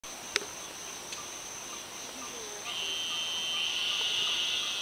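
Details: Eastern narrow-mouthed toad chorusing. A steady, nasal, buzzy drone starts partway through and swells louder to the end. A constant high hiss runs throughout, with a few faint clicks near the start.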